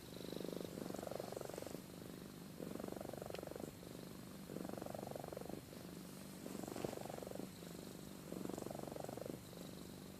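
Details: Drowsy domestic cat Amy purring while she sleeps and snores: a low, fluttering purr with five regular snore swells, each about a second, returning roughly every two seconds.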